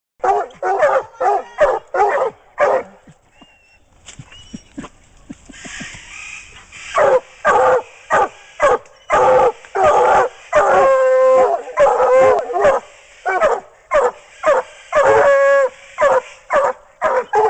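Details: Two coonhounds treeing while coon hunting in Swansea, South Carolina, one a registered female; loud, rapid, ringing barks and bawls in fast irregular bursts, nearly two a second, with some drawn-out chop-mouthed howls and short pauses.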